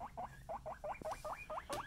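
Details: Pet guinea pigs Kona and Suba indoors: a quick run of nine short, upward-sweeping squeaks, evenly spaced at about five per second, with a soft click near the end and quiet room background.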